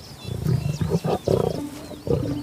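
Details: Young male lions, brothers, in a wild African pride during playful sparring as preparation for adulthood; short rough low growls in bursts, with music faintly behind.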